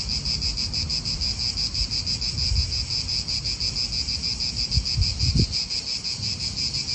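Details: In an Italian park, cicadas produce a shrill, rhythmic buzzing that swells and pulses near three times a second, with wind gusts and a few low knocks from nearby cars.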